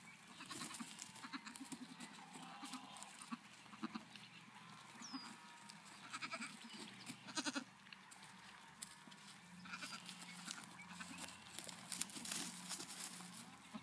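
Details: Nigerian Dwarf goat kids at KW Farms in Wapato, Washington, recorded 5/8/17; soft, wavering bleats come and go amid a busy, noisy farmyard background.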